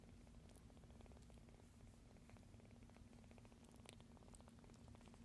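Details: Low continuous purring from a rescued kitten asleep and air-kneading next to a noisy scene; a gentle rapid rumble with a few light clicks and rustles over it.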